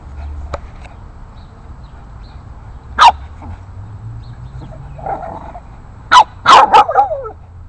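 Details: Eight-week-old Boston Terrier pup barking at larger dogs in the neighborhood; a single loud bark, a pause, then a burst of several rapid high barks and yelps toward the end over quiet low background noise.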